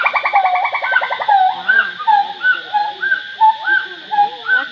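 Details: A gibbon at Angkor, moving about, gives a fast series of clear, rising whoops, each note swooping upward.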